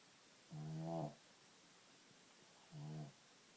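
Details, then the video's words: Small dog of about 15 pounds, thought to have sleep apnea, snoring while asleep: two loud, low, harmonic rasping snores about two seconds apart, each lasting roughly half a second, with quiet breathing between. "Bosco snoring"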